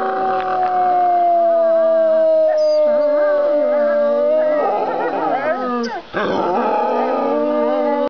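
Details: Captive gray wolves at a wolf sanctuary in Golden, British Columbia, howling: one long, steady, slightly falling note, then several voices join in a wavering chorus.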